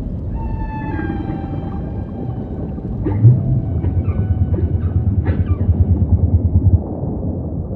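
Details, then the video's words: Humpback whale song under a steady low ocean rumble: long level harmonic moans early on, then a run of short pulsed units and quick rising sweeps in the middle, ending in a dense throbbing low grumble. "Majestic Whale Song · beautiful humpback & ocean ambience"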